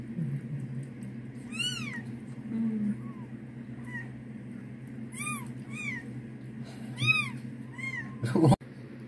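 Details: Persian cat giving birth indoors, letting out several short, rising-then-falling meows spaced a second or two apart, fairly quiet against a low background hum, with a sharp clatter near the end.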